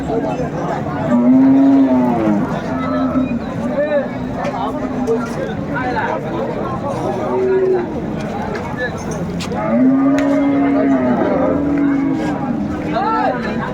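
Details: Hariana bullocks, an Indian cattle breed, at a Bangladesh cattle market on Sunday 21 April 2024 as a Chittagong trader buys: two low harmonic moos, near the start and near the end, over steady crowd chatter and background music.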